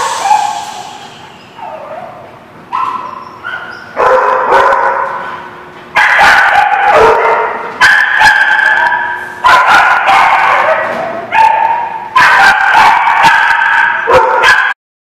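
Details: Several dogs barking in a lot on 8 April 2017; loud bursts of harsh barks and yips starting every couple of seconds, overlapping, with short whining gaps between.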